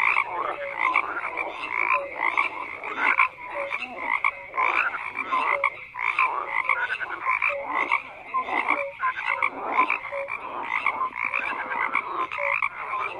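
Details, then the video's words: Dense frog chorus of rattling croaks that repeat in quick bursts, with clipped whistle-like calls mixed in and a constant busy texture throughout. "FROGS CROAKING"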